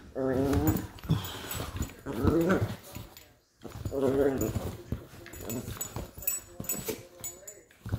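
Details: Two West Highland White Terrier puppies wrestling indoors over a toy, one trying to assert dominance; three bursts of harmonic, wavering growl-whines about a second each, separated by scuffling, with a person's voice commenting.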